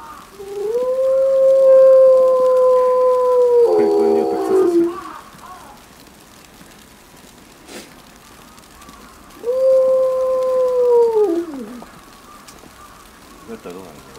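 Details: Eleven-year-old female timber wolf, captive in a pack at Maruyama Zoo, Sapporo, howling alone as heavy snow begins on 22 December 2011, set off by a distant ambulance siren: two long, steady, level tones, each falling away at the end, separated by a quiet gap.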